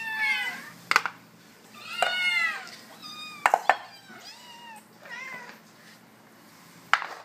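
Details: Bengal kittens, 81 days old, being offered food, give a handful of separate arched meows, some short and some drawn out, broken by sharp clicks and knocks in a small room.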